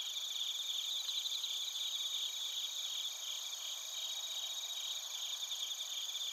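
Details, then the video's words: Crickets, including bell crickets, in Narita, Chiba Prefecture, Japan, captured with a TASCAM Portacapture X8: a softer, continuous high-pitched chorus of overlapping rapid pulsed chirps over steady shrill ringing tones, with no other sounds. "スズムシとコオロギの鳴き声 - Chirping of crickets"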